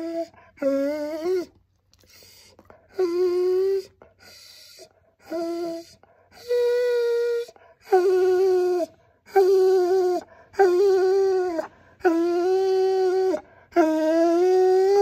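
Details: A Siberian Husky howls in long, tuneful notes that grow louder and fuller, seemingly because he felt he was not getting enough attention.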